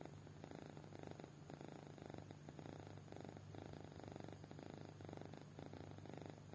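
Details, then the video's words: Deeply sleeping kitten gives a soft, gravelly snore, breaths repeating in even pulses about twice a second, with a steady low drone in the room. "Anak Kucing Tidur Pulas Sampai Ngorok"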